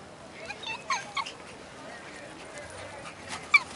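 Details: Young American Eskimo Dog, one year old, at play in a dog park, giving a few thin high-pitched yips early on and a sharp squeak toward the end against faint ambient noise.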